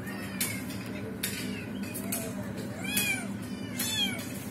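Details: Trapped kitten and its mother during a failed rescue attempt; a few brief rising-falling meows, one longer low wavering call near the middle, with steady background hum.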